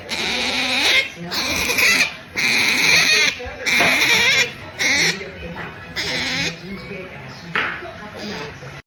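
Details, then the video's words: Otter making pampering noises while drifting off to sleep: shrill, squeaky bursts about a second long, repeated some seven times with short pauses, the last ones softer and briefer. "Otter Melonpan makes pampering noises, drifting off to sleep"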